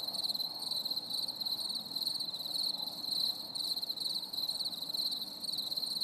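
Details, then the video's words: Crickets on a stormy summer evening produce a steady, shrill pulsing chirr in quick regular beats, with a soft diffuse rumble in the background. "CHANT GRILLONS"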